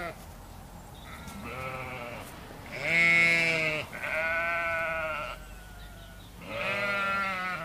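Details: Domestic sheep at a farm, a soft opening bleat then three strong trembling bleats, the loudest near the middle, with quiet ambient noise between.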